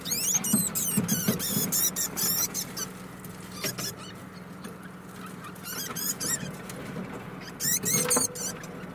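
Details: Young female degu, four months old, calling toward its mother with bursts of high, rapidly repeated squeaks separated by pauses, over a constant low hum and scratchy background noise.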